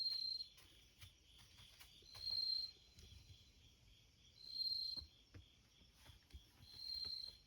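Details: Bell cricket heard through the screen door next to a front entrance, giving four clear ringing high-pitched trills spaced about two seconds apart, each swelling and fading, against a constant shimmering insect chorus and light tapping sounds.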